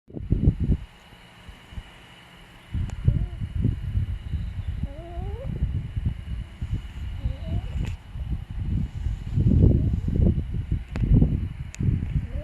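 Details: Puppy named Byeol asleep, giving low rumbling snores in irregular bursts, with a long quiet stretch near the start and a few thin squeaky nasal whistles over the rumble.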